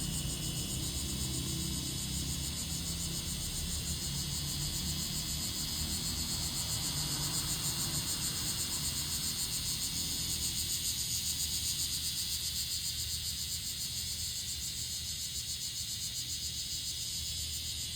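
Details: Bear cicada calling along a forest road in Japan: a dense, continuous buzzing drone, loud and high, pulsing rapidly and steadily throughout, with a low rumble underneath.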